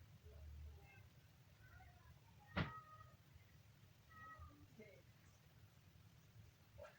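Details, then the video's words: Kitten giving a few faint, short meows in a low tone, scattered across seven seconds, with one sharp knock in the middle and a steady low rumble underneath. "kitten funny sound"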